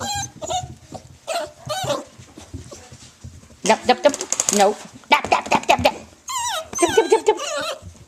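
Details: Nine-week-old dachshund puppies from Libby's litter at play, giving bursts of high yelps and whiny squeals, some sliding downward in pitch, between scuffles, with a person talking over them.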